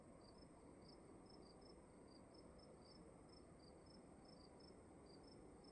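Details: Indoors at night in a dark room, crickets give quick, high-pitched chirps in two alternating series, one slightly higher than the other, against a steady low rumble and hiss.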